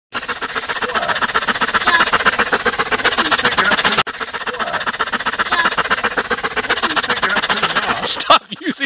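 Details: Excited dog panting hard with its long tongue out, giving a fast, steady, breathy chugging of about four beats per second that sounds like a helicopter, with a brief pause midway.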